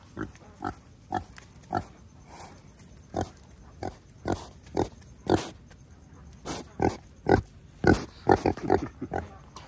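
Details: Female wild boar calling persistently: a long series of short, broad grunts, about two or three per second, irregular, some in quick doublets, with faint speech in the background.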